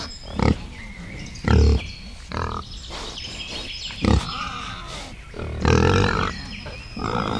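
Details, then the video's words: Wild boar in a forest with piglets: short, deep, broadband grunts come in separate bursts, about four over several seconds, with quiet rustling between them. "wild bore | pig | piglet"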